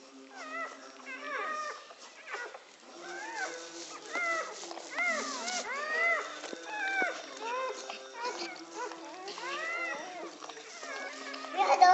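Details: Newborn American Pit Bull Terrier puppies, filmed at birth in Egypt, give high, arching squeals and whines, overlapping one after another.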